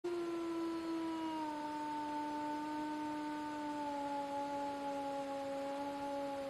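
A wolf gives a long, steady howl that dips slightly in pitch and then holds level.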